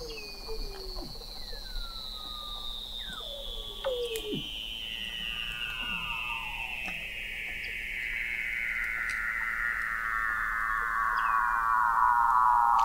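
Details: Under the Antarctic sea ice of McMurdo Sound, November 2017, at the McMurdo Oceanographic Observatory 21 m deep, a Weddell seal gives one very long, smoothly descending whistle that falls steadily over twelve seconds, with shorter downward chirps scattered around it.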